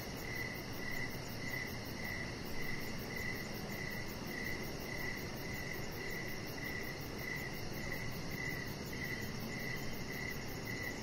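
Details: Evening crickets near a deck with decoration lights. Even, regularly spaced chirps keep a brisk beat of two to three per second, layered over a very high, rapid pulsing trill and steady rushing background noise.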